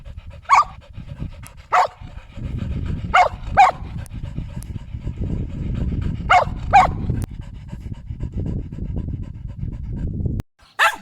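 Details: Sheltie dog barking: sharp barks mostly in pairs, spaced a few seconds apart, over steady low panting or rumbling noise, with one last bark after a short silence.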